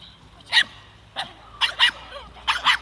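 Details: A seven-month-old Staffordshire bull terrier in defence training gives six sharp, forceful barks, single then in quick pairs, spaced about half a second apart.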